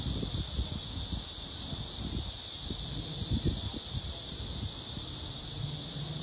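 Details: A Korean robust cicada (chammaemi) on a tree trunk gives a steady, high, hissing drone without a break, over low rustling and handling thumps.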